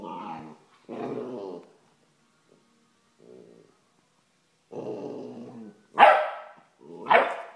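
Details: Vizsla growls in rough harmonic bursts of about a second each, separated by short gaps, then lets out two loud, sharp barks close together at the end. A broom is involved.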